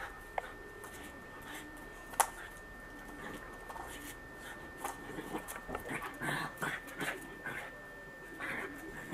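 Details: Bernese Mountain Dog puppy reacting while being combed, giving short whimpering and huffing bursts that cluster in the second half, with a sharp click early on and a steady faint electronic tone underneath.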